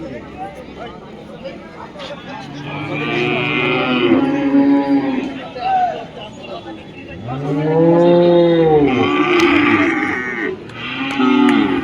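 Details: Cows at the Friday cattle market in Dhaniakhali give long, arching moos, with two loud bellows rising and falling in pitch, over a background of bargaining voices and market bustle.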